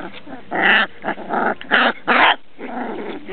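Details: Transylvanian Hound puppies at a kennel producing a run of five rough, noisy yelps and whines of varying length, loud and clustered over about two seconds, then softer grumbling.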